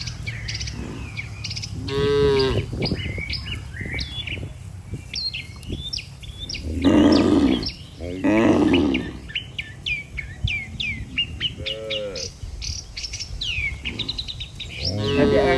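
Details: Healthy farm cattle walking as a group toward the barn, guided by a herder: repeated deep moos, some drawn out and wavering, scattered through the recording alongside constant high bird chirps and twitters.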